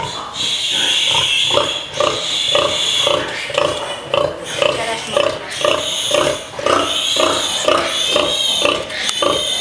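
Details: Pigs in a farrowing pen: quick rhythmic grunting runs beneath long, thin, wavering high squeals, likely from several animals calling at once.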